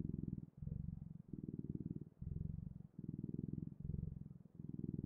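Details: Low, throaty cat purr in a regular rhythm, buzzing bursts of roughly a second separated by short quiet breaths, close and even in loudness throughout.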